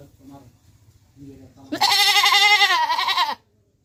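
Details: Faint low murmuring gives way to one long, loud goat bleat from Pakistan, strongly vibrato and wavering, lasting about a second and a half before stopping abruptly.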